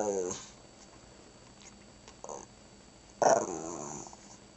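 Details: Shih Tzu named Chona "talking" and saying "grandma": a growl ends at the start, then a brief grumble and a louder, rough growling burst near the end, with quiet gaps between.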